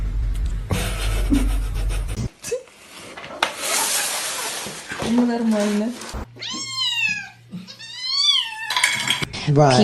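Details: Pet cat in a funny cat compilation, making two arched, slurred meows that rise then fall, one after the other near the end. They follow noisy clatter of dishes and voices in a room.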